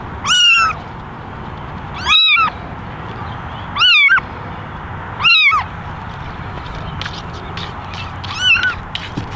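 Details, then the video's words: Meowing for attention, eleven kittens sit in a basket, ten of them ginger and one white; sharp, high, arched mews repeat roughly every one and a half to two seconds, with faint chatter-like sounds near the end. "Basket of 11 Meowing Kittens"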